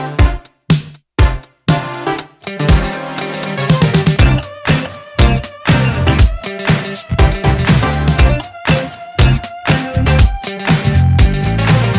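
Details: Upbeat funk-style electronic music with a pounding drum machine beat, brief pauses at the start, and no barking or other animal sounds.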